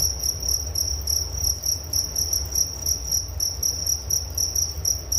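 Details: Cricket chorus offered for relaxing and falling asleep: shrill pulsed chirps repeating about four times a second, continuous and layered from several callers, with a low steady rumble underneath.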